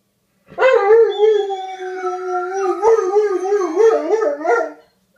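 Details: Male dogs howl in mating calls toward a female in heat, the older male seeming to coach the younger. A sustained, even howl runs several seconds and then turns into rapid wobbling pitch swings before fading.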